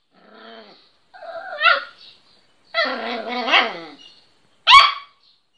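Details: Little Miniature Pinscher pet barking for the first time: a soft whine, then three squeaky, rising-and-falling yelping barks spaced about a second apart, ending with one sharp high yap.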